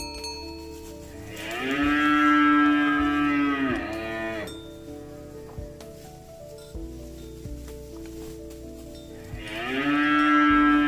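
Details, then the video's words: Cow calling its companions home to the barn while walking in mud: a drawn-out, sliding moo of about three seconds, a quiet gap with faint tonal hum and knocks, then a second moo beginning. "Suara sapi lembu Berjalan di lumpur memanggil kawan untuk pulang ke kandang - Bunyi sapi Lembu"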